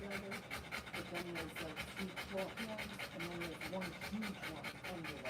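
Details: Rottweiler in labour delivering puppies, breathing in quick, even pants of about two per second, while a person talks over the panting the whole time.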